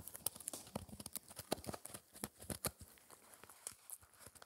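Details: A four-month-old Shetland Sheepdog puppy named Spencer gnaws his daily dental treat, a dried raw ear, inside a small room. Uneven crunches and snaps come roughly once a second, mixed with softer tearing sounds.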